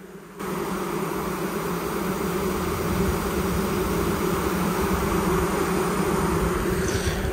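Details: Queenless Western honey bee colony: a loud, dense, continuous droning hum with layered low tones, holding steady throughout after a brief quiet start.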